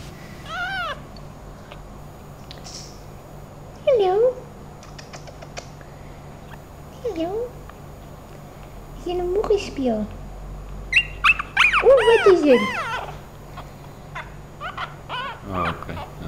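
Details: Five-week-old female Thai Teacup Chihuahua puppy from Hua Hin, Thailand, kept at home: high, thin whining yelps that slide downward, scattered across the recording and bunched near the end, with someone speaking Afrikaans between them.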